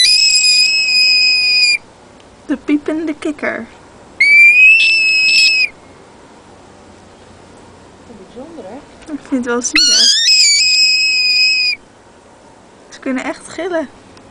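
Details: Caught frog giving high, shrill harmonic screams in bursts of one to two seconds, separated by gaps, with a man's voice and brief rustling between the cries.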